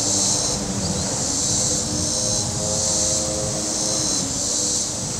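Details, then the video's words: A loud, nearly continuous high buzz from cicadas on the shore of Table Rock Lake in southern Missouri on a very warm day, dipping briefly twice, with droning boat engines underneath. "Boating Lake Sounds and Cicadas"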